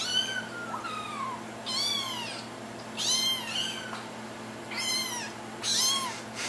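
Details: Little kittens calling for their owners' attention, giving high, arched meows about once a second, each bending up and then down, with quieter overlapping mews from another kitten in between.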